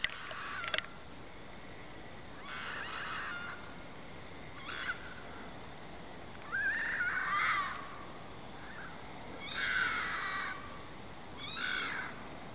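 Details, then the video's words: Red fox calling outside at night, probably mating: a series of harsh, hoarse screeching calls in bursts of about half a second to a second, some with rising and falling wavering tones, spaced irregularly over steady background hiss. "Weird animal noises from outside.. (Update: it's a fox)"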